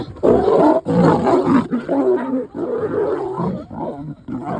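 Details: Roadside encounter in Nairobi National Park, Kenya, where a lioness lunges at a male trying to mate; continuous loud, gravelly snarling and growling in short pulses.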